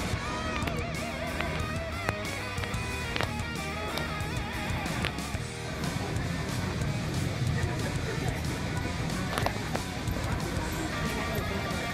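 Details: Strummed guitar music plays throughout with faint speech beneath it and no animal voice.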